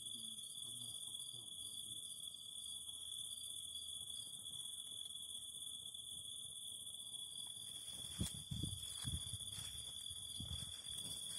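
A continuous high-pitched insect drone holds level throughout, with a second shrill tone above it, as cicadas sing. Low pops and crackles from a burning fire break in now and then, most strongly toward the end.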